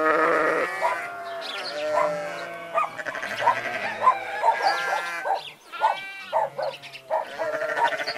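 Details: Flock of sheep mixed with goats calling without letup: layered, quavering bleats of differing pitch and length overlapping throughout, some drawn out and bending in tone.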